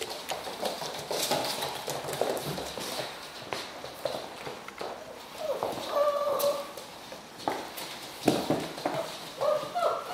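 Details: Serbian Mastiff puppies, five and a half weeks old, give high, thin whines late in the recording, two short tonal cries near the middle and end, over steady clattering, knocking and shuffling noise.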